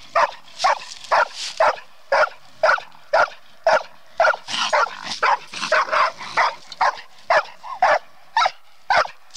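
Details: Bluetick coonhound in training on a raccoon, barking in sharp, loud bursts about twice a second, steady and insistent, with a few overlapping barks in the middle.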